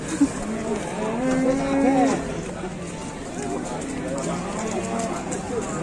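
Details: Raging bulls fighting give a low, drawn-out moo, a steady harmonic tone held for about a second, then softer lowing mixed with background music and general noise.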